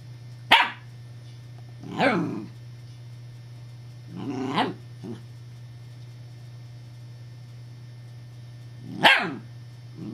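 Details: Evangeline, a female puppy with a deep, rich voice, barks in alarm at an imagined threat: four loud, harsh barks, the first sharp and the others broader, separated by pauses of two to four seconds over a constant low hum.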